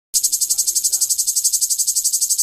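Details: Cicada in Greece sings a loud, high, rasping buzz that throbs in rapid regular pulses.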